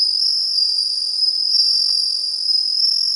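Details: Bell cricket singing on 17 September 2021: a steady, high, ringing trill held without a break, with a fainter overtone above it and a quiet background.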